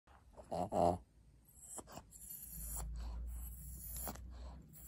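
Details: A twelve-year-old fawn senior female Pug named Maria, in Japan, begging for a treat; two short loud nasal snorting bursts near the start, then quieter breathing and faint rustling in a small indoor room.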